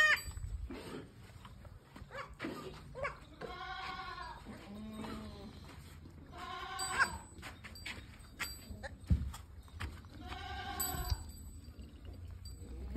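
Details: Totapuri goat with two kids on a farm at Shankarganj, Jaunpur, Uttar Pradesh: three softer, quavering bleats spaced a few seconds apart over steady background noise and low rumbling.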